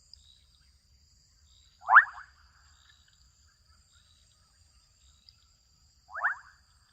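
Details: Kenyan wetland with adolescent frogs calling: a strong buzzy, upward-sweeping croak, then a quieter matching call four seconds later. A constant high-pitched hum and faint low rumble sit behind them.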